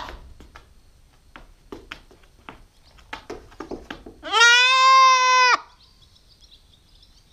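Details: A nine-week-old female Nubian goat kid gives a single long, steady, harmonic bleat of over a second after a run of clicks and rustles, followed by a faint high whine.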